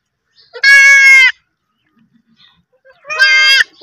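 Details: Baby goats give two loud, quavering bleats, each lasting about half a second.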